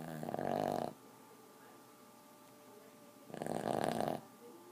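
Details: Sleeping Boston terrier giving two harsh, rattling snores about a second long, spaced roughly three seconds apart, separated by near silence.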